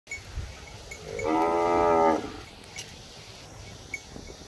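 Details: Hungry cows waiting for their owner to bring food, one giving a single loud, steady, harmonic-rich moo of about a second, rising in loudness then cut off, with faint outdoor background noise.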